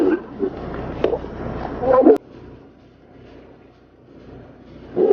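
Tigers fighting, with harsh, throaty snarls and growls in loud bursts, then a quieter stretch.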